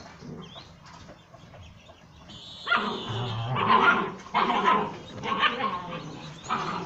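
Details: Several puppies at play alongside their mother, giving barks while they wrestle: quiet opening, then a run of loud, harsh, closely spaced barks and yaps about once a second from the third second onward.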